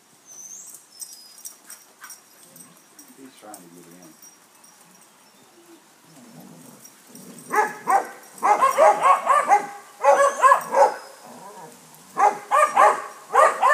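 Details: Basset Hounds visited by a neighbour's St Bernard that wants to play; a quiet start with soft background sounds, then from midway a run of loud, rapid, baying barks in dense bursts.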